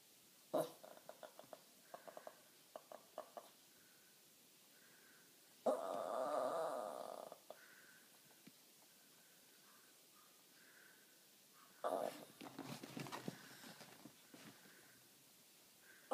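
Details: Mini Jack Russell terrier named Riley, unimpressed by a neighbour's dog on her lawn and making strange noises instead of barking: clicky huffing snorts, then two longer rough growling grumbles with stuttering huffs between them.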